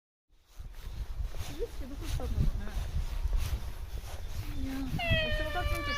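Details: A stray cat living at a shrine, being spoken to by a visitor. Low rumbling handling noise and faint voice fragments come first, then one clear, tonal, slightly falling meow near the end.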